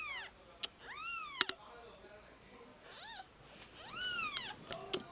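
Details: Newborn kittens, only two days old, cuddling together, give about four high, thin mews, each arching up then sliding down, with soft clicks and rustling between calls.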